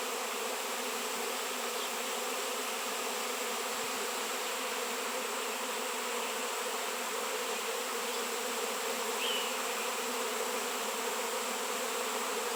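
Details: Swarming honey bees massed around raw shungite stone; steady, dense humming from countless wingbeats, with a brief louder whine as one bee flies near the microphone.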